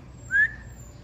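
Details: Golden Retriever puppy named Harper giving a single short, high whine: a thin, steady tone rising slightly and lasting about a fifth of a second, over a faint low hum.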